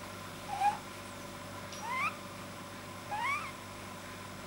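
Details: Relaxed male domestic rabbit with a soft palate the vet thought too long, recorded 9 January 2010: three thin, whistled squeaks, each sliding upward with a bright overtone, spaced just over a second apart, over quiet hum.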